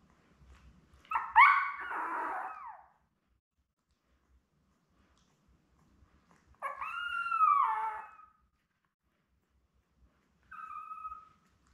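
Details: Newborn Labrador puppies, born May 24, 2021, lying with their mother Belle. Three separate cries with long quiet gaps between them: a harsh, broken squeal, then a clear rising-and-falling wail, then a short faint whine.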